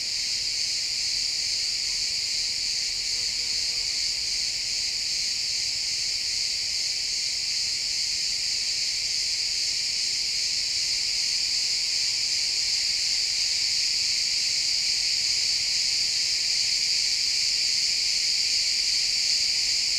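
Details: Pine forest at sunset filled with chirping crickets, captured in XY stereo; a constant high trilling wall of sound, rapid pulses blending together, with faint quiet woodland ambience underneath.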